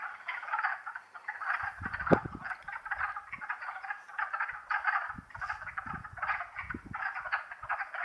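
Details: Warm April 2014 day in the Longkill Woods wetlands, where a wood frog chorus keeps up a steady rattle of hoarse, chuckling croaks, interrupted by several low thuds from footsteps nearby.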